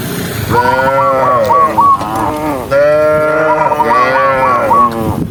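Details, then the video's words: Tame cattle from a huge herd of tens of thousands walking along: long, deep, drawn-out moos with rich harmonics, one rising then falling, overlapped by quick bursts of repeated chirping notes. "cow Sound cow Moo"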